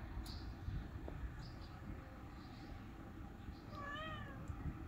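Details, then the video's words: Tuxedo cat that has lost his tail, a homeless street cat being fed, gives one short harmonic meow near the end amid steady low background rumble and a few faint clicks. "An Affectionate Cat in a Tuxedo Has Lost His Tail"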